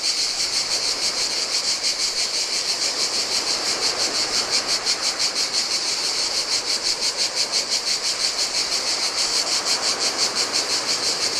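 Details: A continuous, high-pitched rasping drone of cicadas in summer heat on a Greek island shore of the Adriatic Sea, pulsing in quick, regular beats, over the low, soft murmur of surf washing onto the sand.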